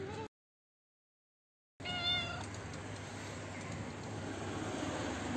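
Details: Old, toothless stray female cat living in a neighbourhood front yard, running up to be fed from a roof; one clear harmonic meow rising then falling, after a short gap, over steady low traffic hum.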